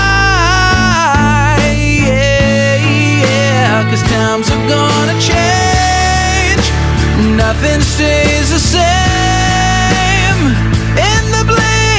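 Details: Loud rock-style song with sung vocals, guitars and drums playing continuously throughout; no animal voice.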